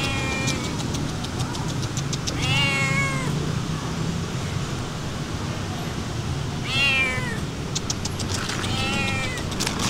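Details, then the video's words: Stray cats at feeding time outdoors give clear drawn-out meows, rich in harmonics and bending downward, near 2.5, 7 and 9 seconds, with traffic hum and clicking sounds in the background. "Feeding stray cats and walking with friendly cats"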